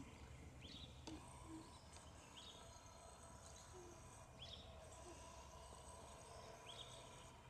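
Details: Eden, a female cheetah, purrs while lying at rest beside a girl during a siesta at Cheetah Experience in 2014. A low rumble rises and fades in cycles of about a second, under chirping birds and faint outdoor background noise.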